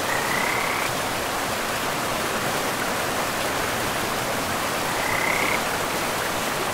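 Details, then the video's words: By a river deep in a pristine, mossy forest, a frog gives two brief, high, slightly rising trilled notes several seconds apart, half buried under the constant hiss of running water. "River and Frogs sleep sounds"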